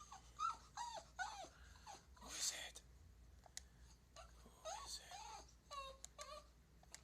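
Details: An 8-year-old male Boston Terrier gives a run of short, high-pitched yelping barks, some sliding into whiny yips, while wanting to sniff another dog's rear. A person talks nearby and there is a brief rustle.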